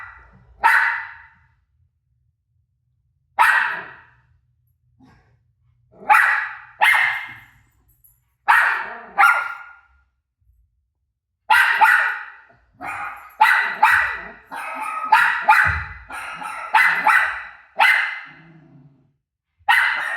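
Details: Rosie, a dog reacting to her own barks on TV, gives sharp single barks every couple of seconds, then a quickening volley of barks near the end.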